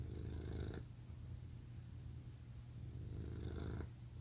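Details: Low, continuous rumbling purr from a male domestic cat, louder at the start and again near the end as the breath cycle turns, softer and grainier through the middle.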